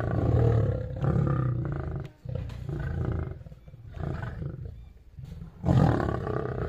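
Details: Zoo lions in Shiraz, Iran, fight with deep, rough roars and snarls in heavy overlapping bursts of aggression.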